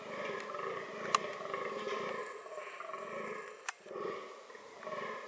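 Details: Fallow deer engaged in reproductive behaviour, uttering a series of hoarse, pulsating groans, each a rough burp-like grunt repeated about every half second, with a brief faint whine and a couple of sharp clicks behind.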